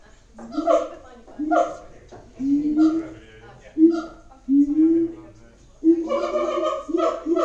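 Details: Siamangs at Auckland Zoo give loud, rich, booming barks that rise in short bursts about once a second.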